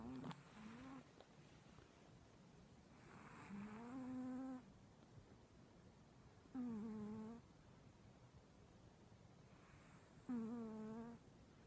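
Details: Old male cat snoring in its sleep, short breaths with a nasal, whistly hum at the end, repeated roughly every three to four seconds in a quiet room.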